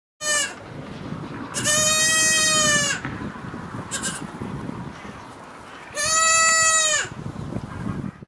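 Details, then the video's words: Kid goat bleating: two long, nasal, steady-pitched bleats, each lasting about a second, with brief fainter bleats before and between, over a constant rustling hiss. "kid goat bleating"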